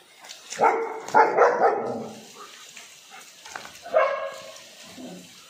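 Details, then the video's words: German Shepherd barking, annoying the neighbours: loud harsh barks at about 0.6, 1.2 and 1.6 seconds, then a further bark near 4 seconds followed by softer whimpering sounds. "German Shepherd Annoying the neighbors"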